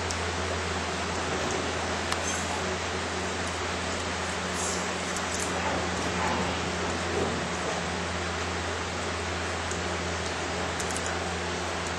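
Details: Steady broadband hiss like rain or wind with a low hum underneath, no distinct animal calls standing out.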